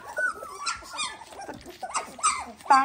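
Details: Whining and squealing from eighteen-day-old Dalmatian puppies, with thin, rising and falling cries and a sharper high squeal at the end, mixed with human voices nearby.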